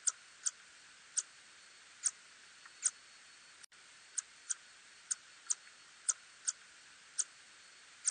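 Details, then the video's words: Short, crisp, high-pitched clicks of a little tube-nosed bat, recorded in 2020, repeat every half second to a second with uneven spacing. A constant soft hiss lies underneath. "박쥐소리, 작은관코박쥐"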